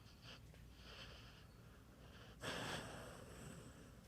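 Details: Bandit, a pet dog, snoring: soft wheezy breaths in a quiet room, then one louder rasping, breathy exhale that trails off slowly.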